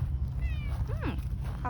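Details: Seaside community cat in Japan that appeared from the tetrapods, answering a woman's voice with a single short arched meow, over steady low wind or surf rumble.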